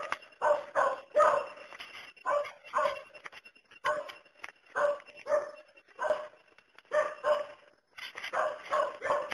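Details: Dog barks steadily, giving a quick run of single and paired barks spaced under a second apart, sharp and mid-pitched throughout.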